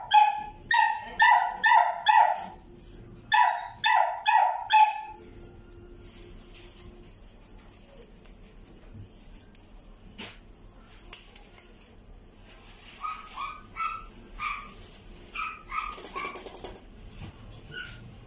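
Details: Black male Toy Poodle puppy, born 15 September 2022, barking in two quick bursts of crisp yaps early on, then a quieter stretch of low background noise with softer, scattered barks and thin high noises toward the end.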